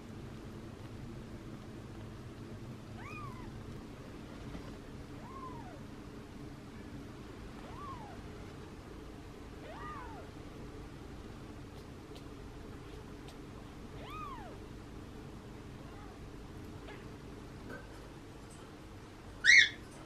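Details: Tiny kittens on the day they first opened their eyes, indoors: thin, high mews with a rising then falling pitch come every two seconds or so over a steady low hum, with a sharp click near the end.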